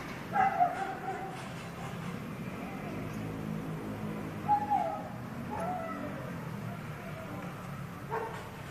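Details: A wildly barking dog alternating abrupt barks with drawn-out whining, sliding tones, several seconds apart.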